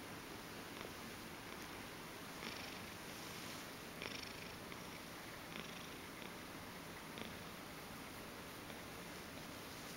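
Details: Domestic Ragdoll cat indoors, purring while wanting to be stroked on its belly and neck; a steady, rough, unbroken purr fills all ten seconds, with a few faint soft clicks on top.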